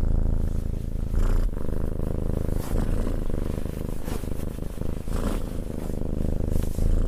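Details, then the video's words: Cat being stroked and purring, a dense low throbbing drone running without pause, softly swelling and easing with its breathing, plus light brushing noises from the petting hand. "Cat Petting and Purring"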